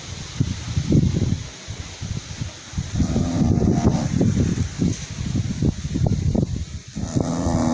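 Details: English Bulldog. Deep, throaty snoring from an English Bulldog rises and falls in rough, rattling bursts with each breath. The snorts are low and gravelly, with brief quieter pauses between the louder runs.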